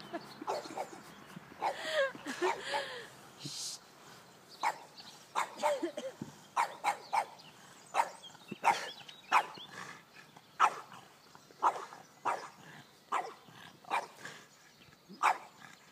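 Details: A French Bulldog attacking a robotic lawnmower barks in sharp, short bursts, repeated roughly every second in an excited run.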